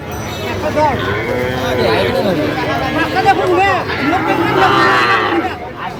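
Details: Crowded market of Sahiwal-breed bull calves, 22 September 2025, with a farmer from Dhaka: a dense chorus of short, wavering calf moos in quick succession beneath human chatter.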